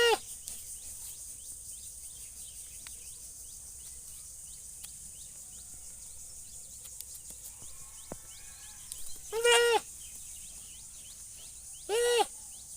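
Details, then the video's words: Goat giving two loud, trembling bleats near the end, about two and a half seconds apart, after a long stretch of quiet filled with scattered small bird chirps, clicks and low background hiss. "Funny goat sound"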